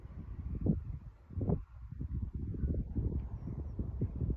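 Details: Chihuahua having a reverse sneeze: rapid low snorting, honking inhalations in quick repeated pulses, a few stronger bursts near the start and then a steady run of snorts.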